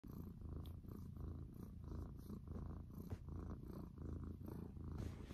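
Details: Cat purring in the morning: a steady low rumbling purr with rhythmic pulses of breathing in and out, about every half second, close up and continuous throughout.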